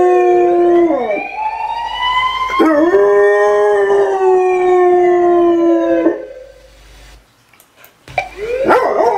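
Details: Drawn-out howls from a German Shorthaired Pointer: two long wavering notes that rise and sag, a near-silent gap, then a brief burst of shorter yelping sounds at the end.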